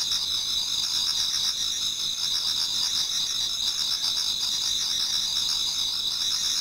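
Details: Autumn insects chorusing before dawn in a Japanese garden, a continuous shrill, layered ringing of many singers at very high pitch with rapid trilled pulsing and no pauses.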